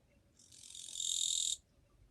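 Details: A single harsh, high-pitched buzz from a Japanese katydid, recorded 2 July 2023, which builds gradually in loudness over about a second before cutting off sharply against a quiet background.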